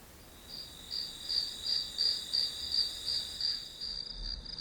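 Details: Grass insects chirping as background white noise: a high, steady trill with pulses about three times a second, fading in after half a second and continuing to the end over faint low rumble.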